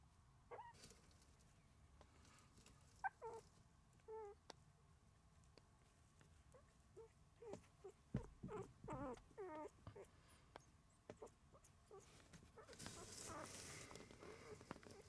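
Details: Puppies asleep together, letting out scattered short squeaks and little whimpering yelps in irregular bursts, some with wavering harmonic tones, amid rustling and shuffling; a hiss of broadband noise swells near the end.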